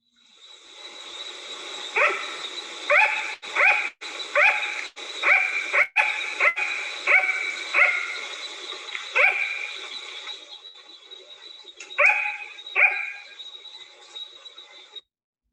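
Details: Sugar glider giving its yap call, a run of sharp, high, dog-like yaps repeated over a soft hiss; the nocturnal species makes this call at night.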